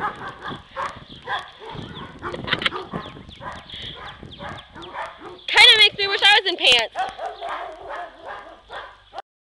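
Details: Dogs at play: Dodger, a yellow Lab mix, Shelby, a black Lab and Australian Shepherd mix, and Elwood, a Basset Hound, running around together. A burst of loud, high yelping barks comes midway, with people talking and laughing throughout.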